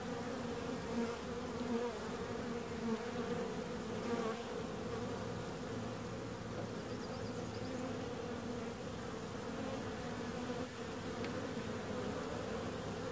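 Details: Bees producing a continuous, even buzzing drone with stacked low humming tones, fairly quiet and unchanging throughout, a few faint clicks.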